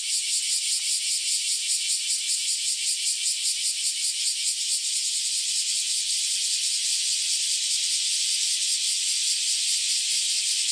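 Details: A dense chorus of newly emerged cicadas, after years underground, gives a continuous high buzzing hiss with a faint rapid pulsing throughout.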